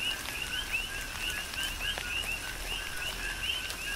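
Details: Coqui frogs calling during a tropical rain shower on the Big Island of Hawaii: a steady rhythmic chorus of two-note chirps, a short lower note followed by a higher upswept whistle, repeated several times a second, with patter and drips of raindrops.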